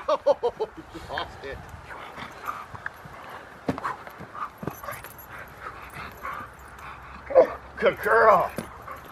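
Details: Female Rottweiler at her second protection training session at a Rottweiler club in Victoria, learning protection work; a burst of short harmonic barks opens, sharper loud barks near the end, with people talking throughout.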